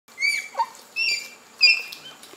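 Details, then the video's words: Bonobo peeps, high squeaks that the narration says carry much meaning to a bonobo mother and can mean different things in different situations: three short whistled calls, each a brief rising or falling squeak, spaced about half a second to a second apart. "that little squeak might not sound like much to you but to a bonabo mother it carries a lot of meaning"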